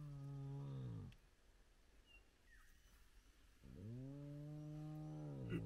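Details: Spotted hyenas from a large clan gathered at their den with active cubs, recorded at sunrise. Two long, deep, rich moaning calls: one fills the first second, then a quiet gap, and a second steady groan begins and runs to the end.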